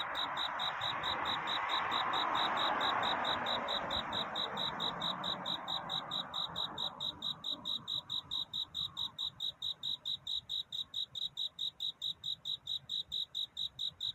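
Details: A cricket's love song in the small hours: evenly spaced high chirps run throughout, at first half-covered by a broad whooshing noise that fades away, leaving the clear rhythmic chirping alone.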